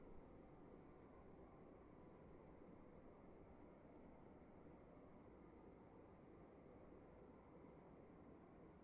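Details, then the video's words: Crickets heard in a room, sharp high chirps repeating about three times a second with two callers sometimes overlapping, beneath them a constant muffled low-frequency hiss. "Sound of emptiness and crickets in the room"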